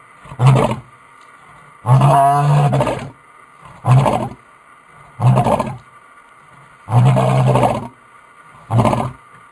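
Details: Lion roaring, a call used for recognition among pride members and by a dominant male to locate his prides; six deep, harsh bursts, some short grunts and some longer drawn-out roars, spaced roughly every one to two seconds.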